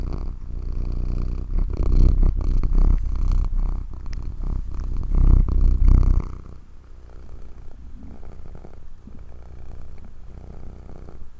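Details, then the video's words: Domestic cat purring, a deep, rapid low rumble pulsing about four times a second, loud and rough for the first six seconds, then dropping to a much softer, steady purr to the end. "Healing Sounds of Cat's Purr"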